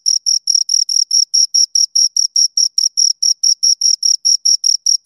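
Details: Crickets, a pair, chirping by stridulation: clean, shrill pulses at a steady rhythm of roughly four to five per second, each short and ringing, nothing else audible.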